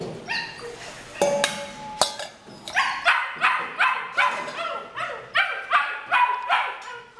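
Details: Purebred female Rottweiler in Pleiku, Vietnam: after some initial clatter, a string of high-pitched yelps and whining barks follows, about two or three a second, each sliding downward, continuing to the end.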